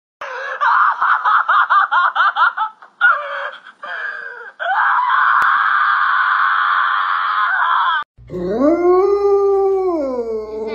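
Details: Pet dog in a funny compilation: a burst of quick, choppy yelps gives way to a long, steady whining tone, then a drawn-out wavering howl that rises, holds and falls, rich in overtones.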